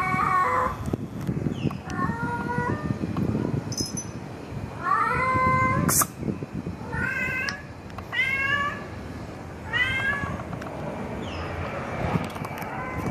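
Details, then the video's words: Tomcat calling a female cat in 2020: a run of short, sharp meows with bright harmonics, about eight calls spaced irregularly, some rising then falling, over steady background rumble with occasional knocks. "Katzen miauen 2020 #8 Kater ruft Katze"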